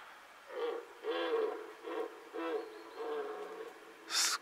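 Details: Red deer stag roaring during the 2018 rut, hidden by fog on a meadow near a bog, very close: a series of five short, hoarse, harmonic roars roughly every 0.7 seconds, followed by a brief sharp noise at the end.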